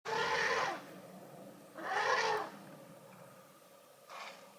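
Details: Young African elephant running far behind the main herd, rushing toward water while trumpeting as waterbucks scatter; two long, harsh brassy blasts about half a second each, then a shorter, fainter blast near the end, with quiet between.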